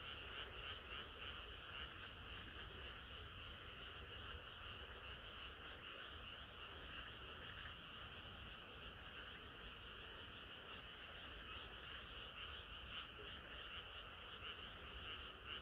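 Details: Frogs chorusing on a hot summer night, a dense continuous croaking wash with no single voice standing out, steady in loudness throughout, with low background rumble beneath.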